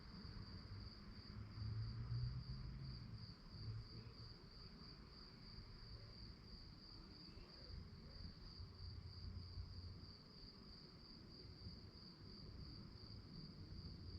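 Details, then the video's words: Crickets chirp through the night in a thin, high, steadily pulsing trill, partly masked by heavy low humming rumble that swells near the start. "relaxing sounds of crickets"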